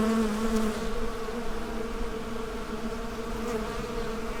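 Honey bees make a steady, low droning buzz that hums on without a break.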